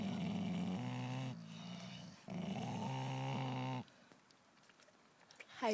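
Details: Golden Mountain Dog tugging on a toy against another dog, neither willing to let go: two long, deep, rumbling growls of about one and a half seconds each, separated by a brief pause, then near quiet.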